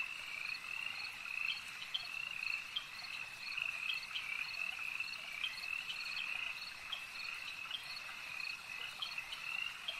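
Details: Frogs calling together at a lake, a dense, unbroken chorus of high, shrill trilling with overlapping pulsed notes that swell and fade slightly; no other clear sounds.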